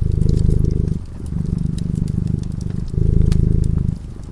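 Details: Feline purr from a cat dozing beside a glowing fireplace: a steady, deep rumble that surges and dips with each breath, roughly every second or two, over faint crackles and pops of the fire.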